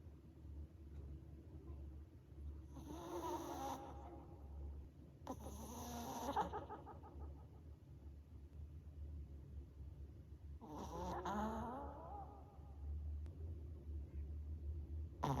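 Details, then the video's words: A pet Maltese dog snoring with a microphone held close, giving three drawn-out rasping snore bursts with a low steady hum underneath. "코고는 강아지한테 마이크 갖다 대 보았다 (코골이 주의)"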